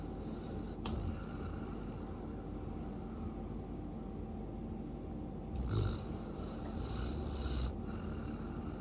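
A Siberian Husky snores with low, rumbling breaths and soft snorts.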